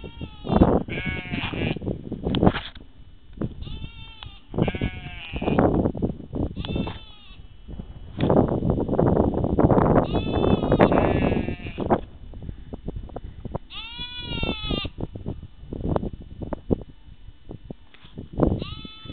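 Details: Sheep bleating repeatedly, many quavering, wavering calls overlapping in quick succession, likely several animals, with heavy low-frequency rumbling and shuffling noise between calls.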